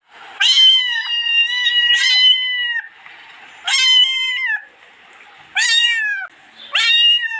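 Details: Domestic cat meowing repeatedly, four loud harmonic-rich meows with a slightly falling pitch, each about half a second to a second long, separated by short quieter gaps with faint background hiss.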